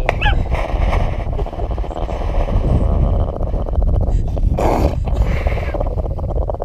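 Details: Pet dog Charlie growls to defend his Christmas hot dog: a dense, low, rumbling growl held almost without a break, with music playing underneath and a short human voice breaking in near the middle.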